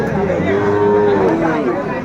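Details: At Aftabganj market in Brahmanbaria, Bangladesh, 7 May 2024, a young Sahiwal bull lets out a drawn-out, slightly falling low moo over a background of bargaining voices and busy market hubbub.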